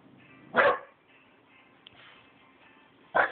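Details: Twelve-week-old Rottweiler puppy guarding: two short, sharp barks about two and a half seconds apart over a faint steady background hum.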